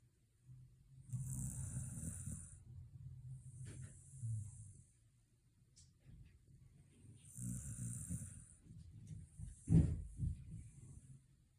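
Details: Shiba Inu sleeping on the evening after a dog run outing. Two long, rolling, low snores with hissing breath about six seconds apart, and a sharp snort-like click near the end.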